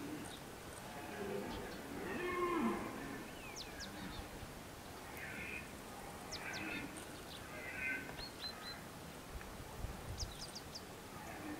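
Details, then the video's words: Red deer bellowing during a 2014 photo hunt: hoarse, distant roars near 2.5, 5 and 8 seconds, faint against a quiet hiss, with thin, high bird chirps scattered throughout. "Gímszarvas bőgés"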